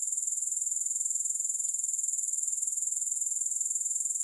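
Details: Grasshoppers trilling nonstop, a bright, high, finely pulsed buzz with a steady rhythm and no pauses or other sounds.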